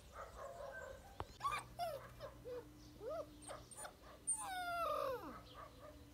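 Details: Active black puppy giving a run of high, thin whines and short yips, some rising then sliding down, in quick irregular bursts, ending in a longer drawn-out falling whimper; a faint steady hum underneath.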